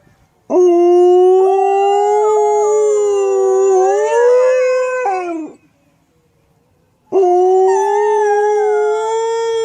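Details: Dog howling loudly: a long, steady, harmonic tone that slowly rises toward the end and drops away after about five seconds, then a second howl starts after a short silence.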